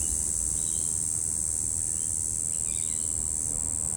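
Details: Brown Bunyip cicada (Tamasa tristigma), possibly a Double Spotted Wattle cicada, calling song on 3 February 2023: a steady, high-pitched, unbroken buzzing drone.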